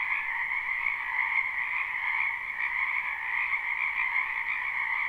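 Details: Dense chorus of frogs from a wetland in spring, recorded live without looping; overlapping trills merge into a steady, even hum with slight swells in loudness.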